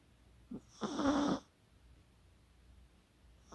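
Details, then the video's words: Chihuahua named Kaka asleep and snoring, recorded 24 October 2020: a short snuffle, then one broad, rasping snore lasting about half a second. The rest is quiet room tone. "코골이의 주인공은 치와와 카카"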